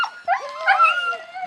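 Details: Siberian Husky puppies at feeding time: a brief high whimper that swells into a long, wavering whine, held steady and then fading, with a second faint voice underneath.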